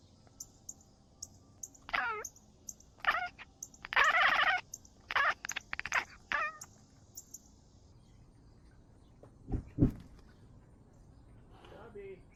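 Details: Cat filmed with an Insta360 GO 3S camera making a run of short meows with falling, sliding pitch, several grouped close together, then two low thuds and one faint trailing meow near the end.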